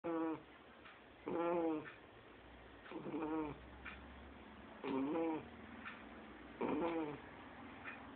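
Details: Two-month-old Shar Pei puppy snoring in its sleep, said to sound like an adult person: a loud, rough, buzzy snore every one and a half to two seconds, with softer breaths in between.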